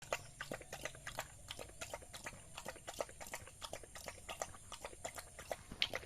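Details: Village dog eating rice, giving a steady run of sharp, wet chewing and smacking clicks, roughly two or three per second, uneven in timing, over a faint constant background hiss.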